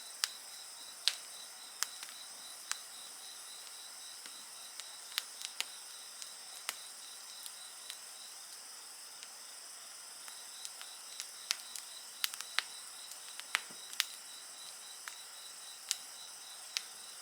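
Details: Night insects sing a constant high, ringing chorus while a bonfire crackles busily, with frequent sharp snaps and pops scattered across the whole stretch.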